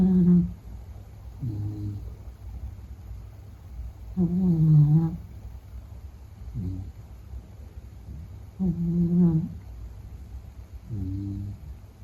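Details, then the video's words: Meta the sleeping Beagle snores rhythmically, six low droning breaths in twelve seconds, louder wavering snores alternating with softer, shorter rumbles, in a quiet room. "比格犬睡觉白噪声 Snoring"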